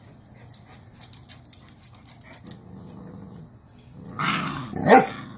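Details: Cane Corso mother named Cashmere disciplining her most dominant female puppy, laying her down in a submission posture; a low continuous rumbling growl builds into a louder, harsher burst near the end.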